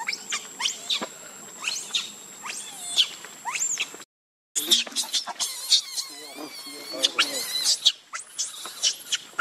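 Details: A baby monkey named Leo cries while begging its mother for milk: many shrill, high squeals and rising-falling whistled cries in quick bursts, a short silent break midway, then denser wavering squeals.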